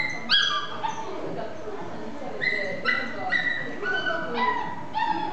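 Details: Male Chihuahua and Toy Poodle mix dog giving a series of high, harmonic whines and yelps, several short rising-falling cries spread across about five seconds, fairly close and clear.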